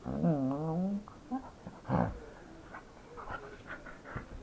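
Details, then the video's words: A dog gives a wavering, rich whine lasting about a second that climbs in pitch at its end, then a few short soft grunts and snuffles follow against a quiet background. "dog makes sounds"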